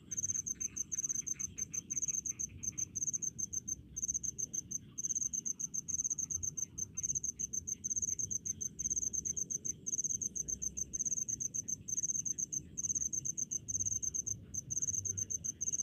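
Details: Rice-field crickets heard for relaxation: near-continuous high pulsed chirping in quick regular bursts, barely pausing, above a fainter chorus of other insects and a low steady background hum.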